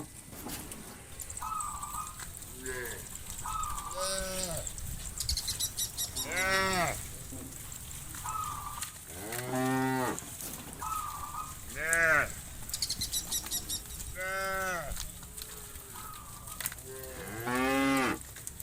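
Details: A big herd of farm cattle calling at dusk as they return to the pen from open pasture; frequent short and long moos from many cows, several overlapping, with brief rattling knocks and a constant hiss.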